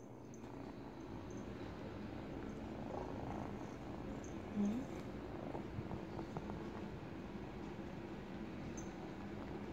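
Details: Teething kitten, eight weeks old, purrs as it gnaws a baby blanket; even, low rumbling purr across the whole stretch, a brief louder rustle near the middle.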